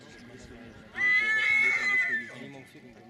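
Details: Silesian stallion during a stallion presentation in Poland: one loud, high, tonal whinny lasting about a second, slightly wavering, over steady Polish conversation from nearby men.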